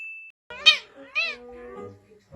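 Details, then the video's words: Domestic cat making strange sounds: after a brief steady electronic tone, two short, bright, harmonic meows rise and fall, the second slightly longer, followed by a faint low hum. "What that Sound Came from A Cat"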